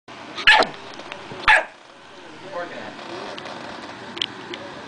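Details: Dog barking: two sharp, loud barks about one second apart, followed by a quieter stretch with faint ticks and a soft distant yip near the end.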